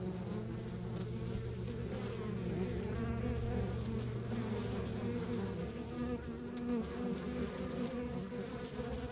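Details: Continuous low hum from a backyard beehive in the countryside, countless honey bees droning as one even mass, a faint steady tone underneath and scattered brief wing whines drifting over the top.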